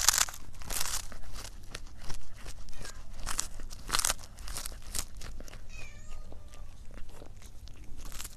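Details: Domestic cat eating indoors in a small room: dense crunchy chewing clicks and bites throughout, with a couple of faint brief tonal squeaks near the end and a steady low hum beneath.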